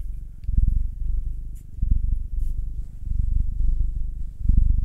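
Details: Pet cat purring under a kneading massage, from a household with a black male aged nine and a two-year-old tortoiseshell-coloured Munchkin female; low throbbing rumble in even pulses, with faint rustling of fur and hands.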